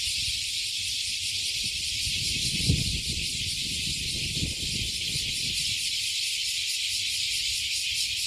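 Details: Chorus of cicadas singing together above Fukuoka Bay, Japan, having climbed up from under a 50-year-old tree. Loud, high, even buzzing with pulsed texture, some soft low rumbling bursts midway.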